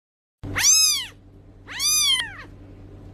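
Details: Cat. Two thin, high-pitched kitten meows sound out, each one rising briefly and then sliding down in pitch. The second cry follows about a second after the first, over a faint low hum.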